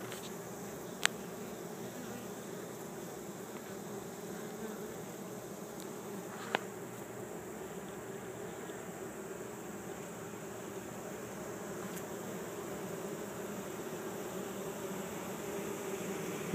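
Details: Swarm of 6000-8000 honey bees being captured into a hive in a yard in Chico, California, workers and drones piling up at the entrance; continuous low droning hum throughout with occasional faint ticks.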